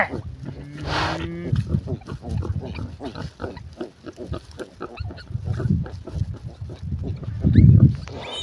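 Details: Sow and piglets on a village farm grunting steadily in low, rapid pulses, with a brief squeal at the start, and music and a person's voice faintly behind.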